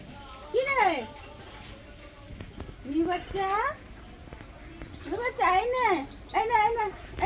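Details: Pet cat at bath time gives a run of drawn-out meows that rise and fall, some wavering, with high bird chirps in the background and a woman calling to it in Bengali.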